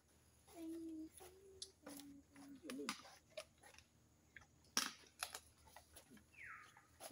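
Wild boar giving short, tonal grunts and squeaky snorts amid crunching and clicking sounds.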